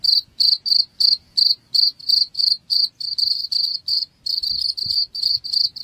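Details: Cricket chirps meant to scare off rats: high-pitched trilled pulses repeating about three per second, the bursts lengthening and running closer together toward the end, with a faint thump midway.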